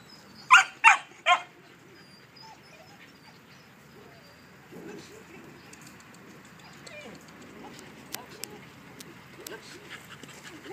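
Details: A 3-month-old puppy gives three quick, high, sharp yips close together in the first second and a half, followed by a long quiet stretch with faint clicks and soft rustling.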